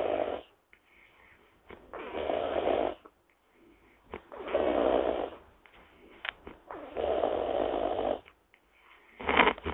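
A wild boar snores steadily, each rough, throaty breath lasting around a second. The snores come in a loose rhythm, roughly every two to three seconds, with quieter snuffles in between.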